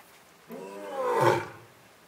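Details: Male lion in a Japanese zoo enclosure, Asahiyama Zoo, recorded on a September 2022 morning. One harmonic vocal rises and swells to a loud peak over about a second, then fades, with no other clear sounds around it.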